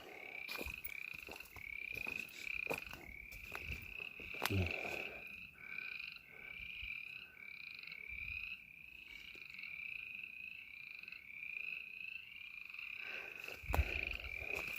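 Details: Frogs calling near a pond beside a burned clear-cut in snowy country: a steady chorus of short, rising chirps repeated about twice a second, with occasional sharp knocks and rustles.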